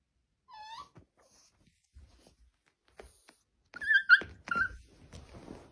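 A Siberian Husky 'talks' in whiny, wavering yowls that rise and fall in pitch, with a person nearby.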